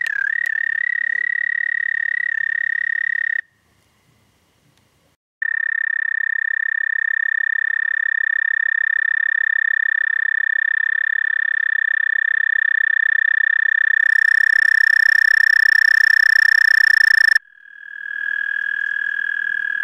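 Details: Toad trilling after dark, 30 May 2014, 11:13 p.m. CDT. Long, even, high buzzing trills with a two-second silent gap, a brighter, richer stretch near the end, then a short break before the trill resumes.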